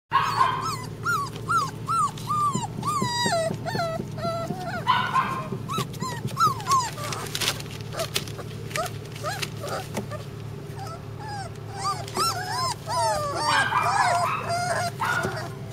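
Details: Flat-coated Retriever puppies, littermates, whining in a rapid series of short, high, bending whimpers, many overlapping, with a steady low hum underneath and a person laughing.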